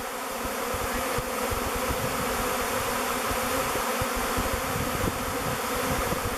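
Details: Swarming honey bees, clustered and flying in a swirling mass, settle on a log hive named Bee Beard as their future home. An even, unbroken low drone holds steady throughout.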